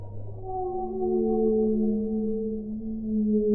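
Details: Whale underwater giving a long, smooth, harmonically rich moan that holds steady then dips gently in pitch, with a brief deeper tone at the start and a soft murmuring water background.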